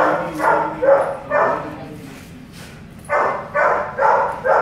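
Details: Belgian Malinois barking during a stud session at a home service visit in Caloocan City: sharp barks in bursts of three or four, a short pause, then another quick run of barks.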